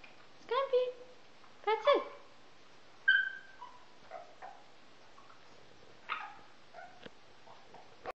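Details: A male Pekingese gives a run of short, high, nasal whines and yelps sliding up and down in pitch during a repeated early-morning and evening behaviour his owners call "yoga".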